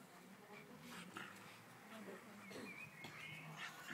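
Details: An Alaskan Malamute playing with a Pug gives soft whiny, grumbling vocalizations with brief higher squeaks, amid faint household noise.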